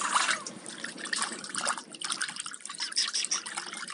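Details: Trickling and dripping water runs throughout, with no animal sound present.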